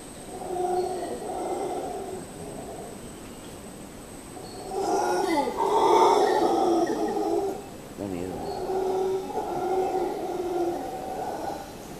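Howler monkeys roar in a deep, throaty chorus, the sound rising in a loud swell before easing back. The bouts come in long waves, with a few calls overlapping at the loudest point.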